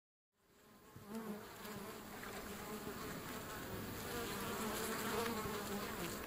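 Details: European honey bees at a wild feral hive found along a river on a hike, buzzing around the hive entrance: a dense, continuous hum with steady low droning tones, fading in from silence and swelling louder through the clip.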